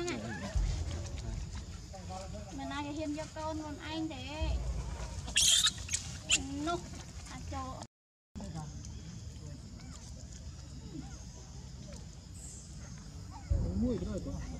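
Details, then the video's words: Baby monkey named Brady in Cambodia crying and calling for its mother: a run of wavering, warbling squeals in the first half, then quieter stretches with faint scuffling and a brief return of cries near the end. "Baby monkey Brady cries calls mommy"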